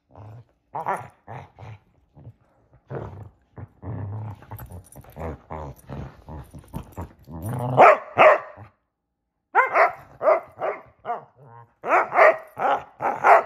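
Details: Two Basset Hounds, Shelby and Roxy, at play in a game of hide and seek, giving irregular bursts of harsh barks mixed with low growly grunts, loudest near the end in a run of rapid barks.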